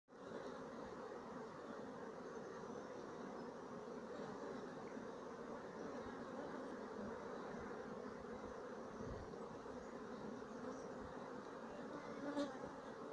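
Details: Sicilian black bee colony, 2017, giving a steady, dense hum of many bees with low droning tones throughout, holding even without pauses, plus a brief faint tick near the end.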